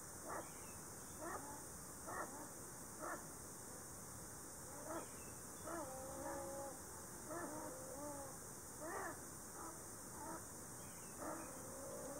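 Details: Distant Ezo sable in a Shiretoko forest tree hollow, 26 July 2018, one of two close together, seemingly a breeding pair: a long run of clicky bursts and drawn-out whining tones, irregular spacing, mating-season calls mixed with threat.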